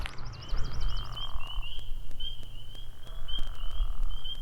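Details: Around 10 pm in spring at a ball field in Bear Brook State Park, spring peepers and bullfrogs call: a night chorus of high, clear, rapidly repeated peeps over a low steady hum.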